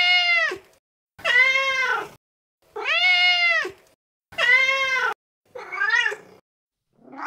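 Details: Mother cat, feral, calling her kittens in a run of about six meows less than a second apart, each opening with a rising swoop and ending in a falling tail, the last ones rougher.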